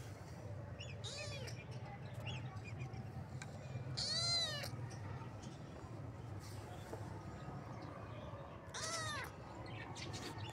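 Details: Kitten meowing three times in about ten seconds: high, arched mews rich in overtones, rising then falling, the middle call loudest, over a steady low hum and faint rustling.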